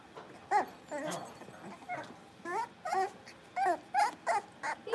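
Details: Playful barking from blenheim Cavalier King Charles Spaniel puppies, a litter of five in a home puppy pen: high, short yips come in quick irregular bursts, roughly one or two each second, over light background rustle.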